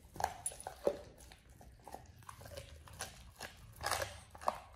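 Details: Oliang the Pit Bull eating a raw ostrich paw for the first time indoors: irregular crunching and biting clicks, sharp broadband snaps between softer wet chewing, in a quiet small room.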